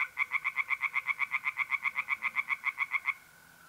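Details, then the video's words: A tree frog at a north-east Italian pond on a mid-April night gives about twenty-two loud, regular, clacking pulses in three seconds, then stops, leaving the thin continuous trill of mole crickets. "relaxing singing tree frogs in pond and trilling mole crickets by night"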